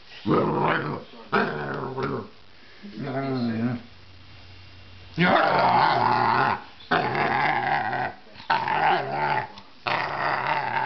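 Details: Flash, a basset hound, vocal while playing: long rough growling moans in bursts of one to two seconds, low and wavering, rising into drawn-out grumbling howls, indoors in a small room.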